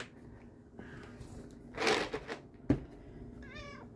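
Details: A black male domestic cat chirps at treat time: a brief, trilling chirp with a wavering, bird-like quality near the end.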